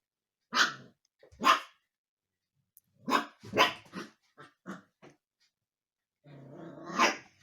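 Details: Young husky puppy settling into the house and bothering the resident cats: repeated short yappy barks with brief growly notes, spaced irregularly, ending in a longer whining bark, indoors.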